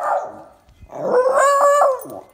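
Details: Miniature schnauzer, one of two, greeting its owner coming home: a short tonal moan, then a sustained harmonic howl-like 'talking' note lasting about a second, held fairly level in a steady, mid-pitched voice.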